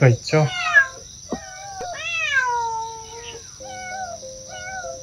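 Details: Mother cat Mideok, after spay surgery, with her kittens in a recovery room: soft, drawn-out meows, some sliding downward, mixed with human speech and a steady high electronic whine in the background.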